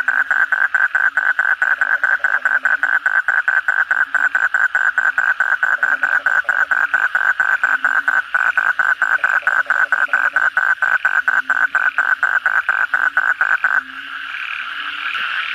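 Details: Kodok bangkong frogs calling together at night after heavy rain: a loud, fast train of sharp pulses, about two per second, runs for fourteen seconds over a steady background frog chorus, then stops and leaves only the humming chorus.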